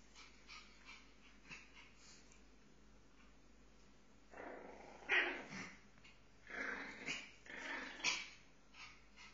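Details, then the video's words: Pomeranians fighting: quiet start, then loud bursts of harsh growling and snapping yelps in two clusters. "Pomeranians fighting"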